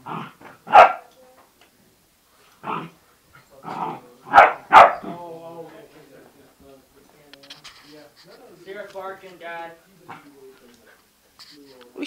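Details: Bernese mountain dog puppy and Yorkshire terrier fighting, a few loud separate barks early on, then a person talking to the dogs over quieter scuffling.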